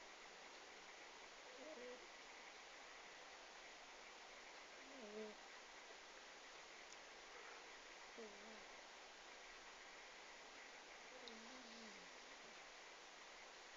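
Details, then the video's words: Snoring cat asleep, giving soft whistling breaths that bend downward, repeated roughly every three seconds across the stretch, with constant background hiss throughout. "Кошечка храпит"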